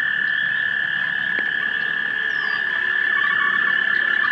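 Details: Pond frogs mating at dusk in March 2011, recorded on a 3 megapixel camera: a steady, unbroken chorus of fast pulsing trills, one strong even tone band with a weaker higher band, no pauses.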